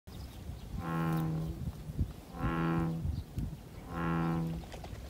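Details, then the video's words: American bullfrogs calling from a small pond beside a sweetbrier flower path on Sido island, Incheon, South Korea: deep, droning, cow-like calls, each under a second long, repeated about every second and a half. "섬 둠벙에서 울리는 황소개구리 울음소리입니다"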